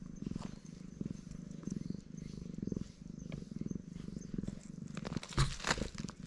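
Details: Black stray cat purring loudly while being stroked, a steady pulsing low rumble with rhythmic breathing cycles about once per second, ending in some rustling and handling noise.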